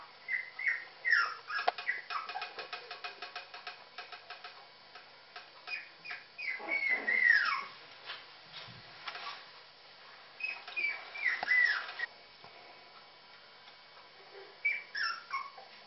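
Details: Puppies calling for their mother while around feeding time, with bursts of high, descending whines and squeals separated by pauses, plus rapid clicking and scraping noises early on.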